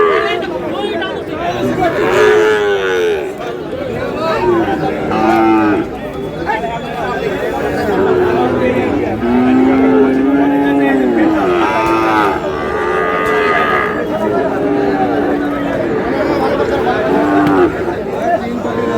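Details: At a Satkhira, Bangladesh market on 10 May, Sahiwal bull calves give repeated moos. Many separate lows come one after another across the scene, some higher and some deeper, all mixed with a noisy crowd of talking people.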